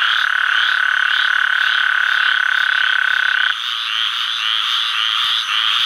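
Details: Male Gulf Coast toad calling in Sherburne WMA, Atchafalaya Basin, south-central Louisiana, on July 11, 2013: a loud, steady, even-pitched trill lasting about three and a half seconds before stopping, over a constant pulsing background chorus.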